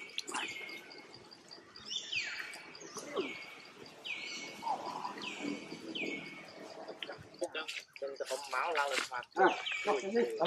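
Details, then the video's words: A tiny mini monkey cries out for its mother to come and help, giving a run of shrill whistled notes that drop then flatten, roughly one per second, before people's voices take over near the end. "One Crying call mom to come and help it"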